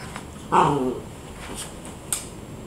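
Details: Pet rat terrier chihuahua mix, 11 months old, playing indoors on a couch with a year-old rat terrier sister; one brief harmonic whining growl rising then falling over about half a second, with a woman's voice nearby and quiet room noise.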